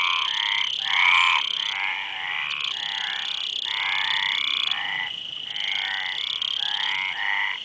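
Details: Chorus of frogs with rapid, rattling croaks repeated in short overlapping phrases, swelling and easing in loudness, with a thin unbroken high whine underneath throughout.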